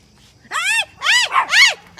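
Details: A Pomeranian gives three high, sharp yaps in quick succession while chasing a deer.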